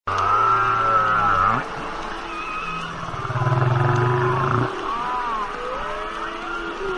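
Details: Humpback whale (Megaptera novaeangliae), song.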